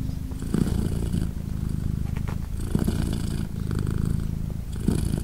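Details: British Shorthair mother cat named Polina purring beside her three newborn kittens, three days old, as they nurse indoors; a steady low rumbling purr runs throughout, swelling in brief louder bursts with each breath.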